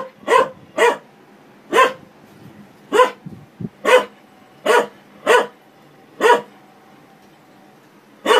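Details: A dog barks at a washing machine, loud broad barks at irregular intervals of roughly one second, about nine in total, over a steady low hum with a brief thud near the middle.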